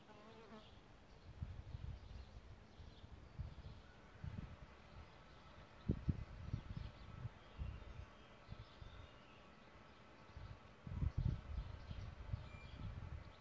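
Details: Solitary bees nesting in a bug hotel, giving low droning buzzes in short irregular bursts that swell and fade, loudest near six and eleven seconds, over a steady background hum with faint distant bird notes.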